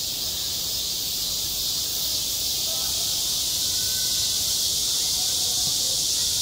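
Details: Midsummer cicada chorus over a school playground, a loud unbroken high-pitched shimmering drone that holds level throughout, with scattered faint voices far beneath it.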